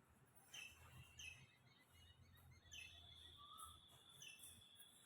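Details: A squirrel calls from a tree with sharp, high chirps at irregular intervals over a low rumble while a cat is below; it climbs down and back up, calling as if it has spotted something.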